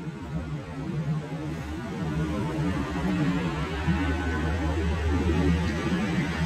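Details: Steady music with low synthesizer and plucked guitar tones fills the recording, and no animal sound stands out.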